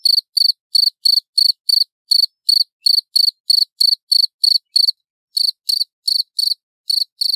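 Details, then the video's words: Loud, clear cricket calling: crisp high pulses in a fast, regular series, about three each second, with one short gap before the rhythm resumes. No other sounds. "Suara Jangkrik Jernih Keras"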